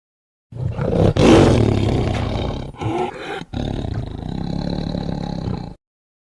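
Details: Tiger letting out a single powerful roar that opens with a harsh burst, breaks briefly, then continues as a long rough growl fading out after about five seconds.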